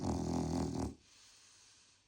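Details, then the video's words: Sleeping pet dog Krosh gives one loud, throaty, pulsing snore lasting under a second, followed by quiet breathing. "Собака храпит. Крош спит"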